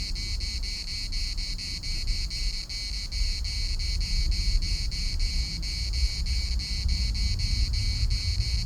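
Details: Cicadas chorusing at the municipal park in Larnaca: a steady, high buzzing drone pulsing about three times a second without a break, over low rumbling wind.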